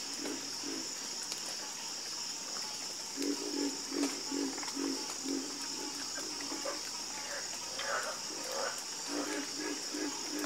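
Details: Frogs in a nighttime chorus give short pulsed croaks, about two or three a second in loose series, over a steady high-pitched cricket buzz.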